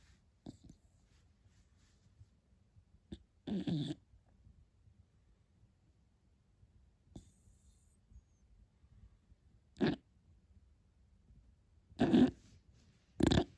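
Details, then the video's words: Sleeping beagle puppy snoring and snorting indoors: short, rough, breathy bursts at uneven intervals, a few seconds apart, with quiet pauses between them and louder snorts near the end. "Как спит милый щенок бигль 😴 Храпун Хрюкович"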